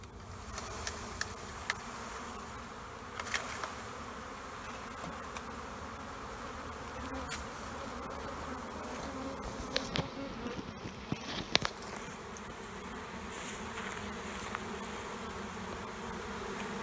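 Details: Honeybee swarm noise from two colonies under a trailer, removed in Panama City: an even, humming buzz with tonal bands, punctuated by scattered knocks and scraping handling sounds.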